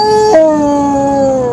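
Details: Pet female basset hound howling on cue when told to sing the blues: one sustained, tonal howl that drops in pitch after a brief break, then slides slowly lower and fades, ending in a soft noise.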